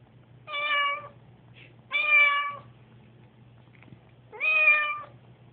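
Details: Nervous on moving day, Susie the house cat calls three loud, clear meows spaced roughly two seconds apart, each slightly falling at the end, with a low background hum.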